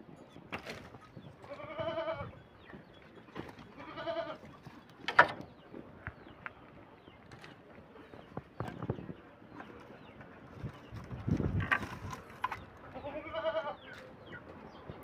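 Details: Hungry farm goats that have stripped the leaves and bark from cut branches, leaving only twigs, give wavering, nasal bleats: two close together early on, another at four seconds and one more near the end, with rustling and clattering handling noises in between.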